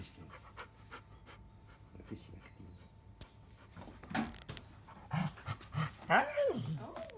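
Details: Biscuit, a pregnant field-line Labrador Retriever, lies belly-up in a sunny spot while her growing belly is checked after mating. Quick rhythmic panting breaths build over the second half, about three per second, with a person talking softly throughout.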